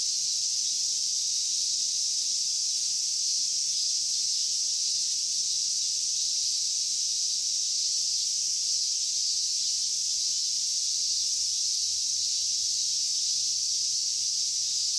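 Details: Cicadas, with large brown cicadas and minmin cicadas named, at Inagi Central Park in Japan, where they are caught with bare hands; a steady, dense, high-pitched sizzling hiss runs unbroken throughout, with no other clear sounds.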